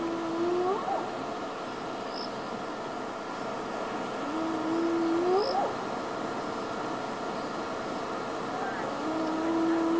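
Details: Hyenas call in the background on a night drive in wild Africa, giving long, rising whoops, each sliding upward from a low moan, spaced several seconds apart.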